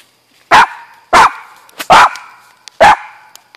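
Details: Pet dog barking at home, four loud, sharp barks spaced roughly every 0.6 to 0.8 seconds, each ending in a short ringing tail; quiet room otherwise.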